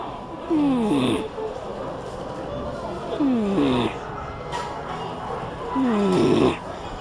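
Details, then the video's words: Snoring beagle at Tsukuba Wan Wan Land in Japan, perhaps with a stuffy nose: three wheezing, whistly nasal snores, each sliding down then up, about every two and a half seconds, with quiet murmuring in the background. "いびきビーグル【Snoring Beagle】"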